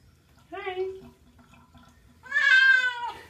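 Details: A pet cat being bathed, wet, gives a short meow followed by a longer, louder, strained meow that holds steady before trailing off, with quiet indoor background.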